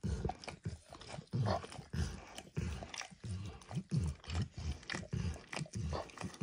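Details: Close indoor recording of Max, a dog, lapping at a bumpy orange mat coated with egg and diluted peanut oil. Moist smacks fall about every half second, with deep soft thumps under each stroke and no speech.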